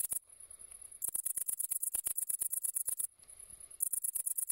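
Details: Great green bush-cricket, Tettigonia viridissima, singing a very high, sizzling trill made of fast ticking pulses, broken by two short pauses about two seconds apart before the buzzing resumes.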